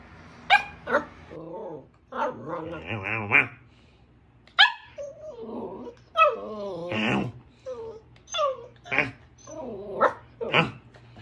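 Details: A female Samoyed puppy on her first day in a new home makes a string of high whines, yips and short whimpering barks, some wavering, with brief pauses between them.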